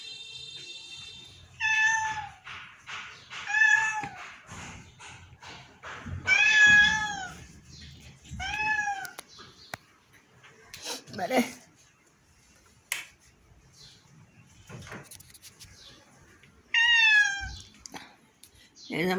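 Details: {'caption': "Sick pet cat meowing indoors while being fed fish: about five drawn-out, harmonic-rich meows, each arching slightly then falling, spaced a second or two apart, with a woman's voice coaxing in Bengali and a quieter stretch of talk midway."}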